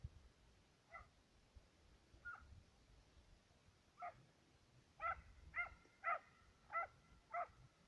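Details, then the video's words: Two Serbian hounds on a fox and roe deer trail, baying from a distance; scattered single barks at first, then a quicker run of five loud, ringing barks about half a second apart. "Serbian hound,two dogs on trail(fox & roe deer)"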